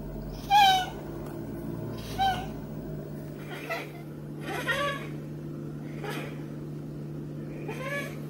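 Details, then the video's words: Male Maine Coon cat from a cattery in the South of France meowing while getting a massage: short, high, tonal meows with downward bends, repeated about every one to two seconds over a steady low hum. "MAINE COON CAT MEOWS AND GETS A MASSAGE"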